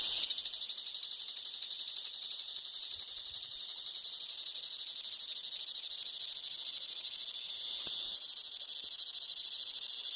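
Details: High, sustained buzzing of a cicada in summer, finely pulsed and intense throughout, with a slight shift in tone near the end.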